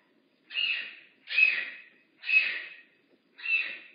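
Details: Makani, a rehab bobcat at Big Cat Rescue, gives four loud, harsh, breathy calls, each about half a second long, repeated roughly once a second against a quiet background.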